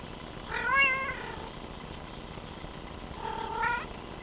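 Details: Male Bengal cat meowing: two drawn-out, wavering mews, the first rising then falling, the second shorter and rising, separated by about two seconds of steady background hiss.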